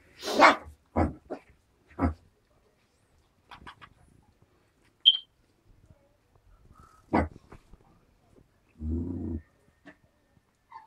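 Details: Four-week-old puppies, 3/4 Alaskan Malamute and 1/4 Siberian Husky, give sharp yips and barks, then a low rumbling growl, while play fighting.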